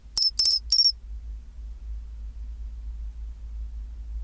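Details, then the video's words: Pine cricket at 24°C: three quick ringing metallic pulses in the first second, then only a steady low background hum for the rest. "チンチロリン Sound of pine cricket"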